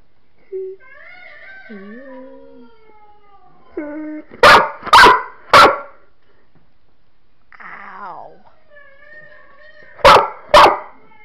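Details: Pet dog howling and whining, with rising and falling drawn-out tones, then sharp loud bursts in quick groups of three and two.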